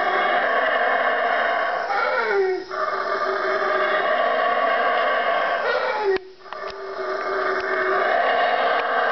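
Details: At 3am, before daybreak in the Guatemalan jungle, four howler monkeys three trees from a room roar in a deep, steady, rasping chorus that swells and briefly breaks off, sounding very eerie.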